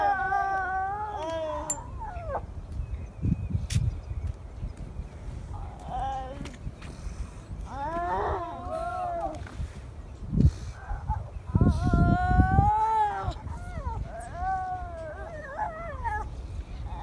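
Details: Newly born seal pup calling for its mother at Donna Nook: a run of crying, bleating wails, some short and bending downward, others longer and wavering, spaced a few seconds apart, with gusty wind thumps beneath.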